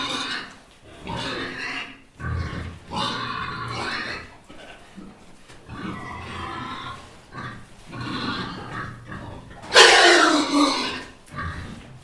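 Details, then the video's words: Little pigs eating: continuous wet chomping, slurping and snuffling with low grunts, growing louder near the end in a harsh, noisy burst. "Pigs eating sound effects"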